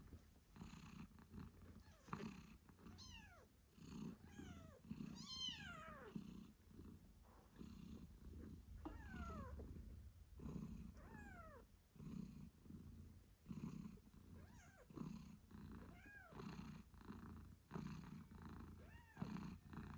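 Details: British Shorthair mother cat named Moon Stone purring steadily while nursing her eight-day-old kittens, which give many short squeaky meows with descending pitch sweeps, several per second at times; no music.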